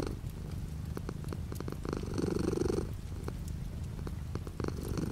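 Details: Cat purring softly as light rain falls outside the window; quieter low rumble with one fuller swell near the middle, raindrop ticks and taps scattered throughout.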